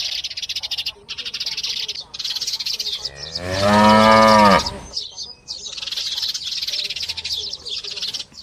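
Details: Calf giving a single drawn-out moo of about two seconds, loud and harmonic, steady then falling away. Constant shrill insect chorus before and after.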